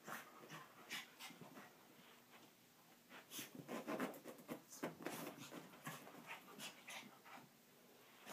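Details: Chihuahua named Coco playing on the carpet after a shower, indoors in Amarillo, Texas; quick breathy panting bursts come in runs, mixed with scratchy rustling of paws and body against the carpet.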